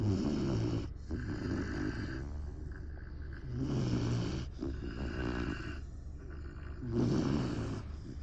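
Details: Great Dane pup Saigo-don asleep, producing loud rumbling snores. Three coarse, nasal rattling breaths arrive about three seconds apart, with a muffled wheeze between them.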